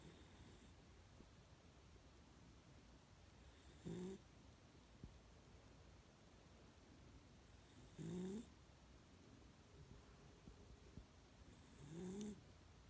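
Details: Sleeping pet dog snoring indoors, one short rising, whistling nasal snore about every four seconds, three in all, with soft breathing noise between them.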